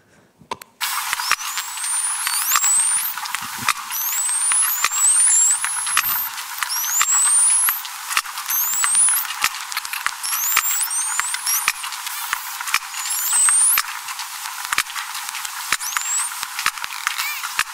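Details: Sharp, metallic, audible sperm whale clicks tick irregularly underwater beneath a chorus of high, sliding whistles from other toothed whales.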